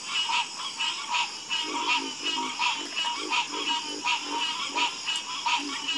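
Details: Dense frog chorus: loud rasping croaks repeated rapidly, more than one per second, stacked over softer low croaks, with a persistent shrill insect-like drone behind.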